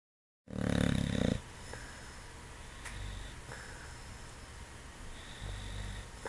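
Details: A sleeping English Bulldog with its eyes open lets out a single heavy snore, low and rough with a fluttering rattle, lasting about a second; afterward only faint breathing and quiet room hum remain.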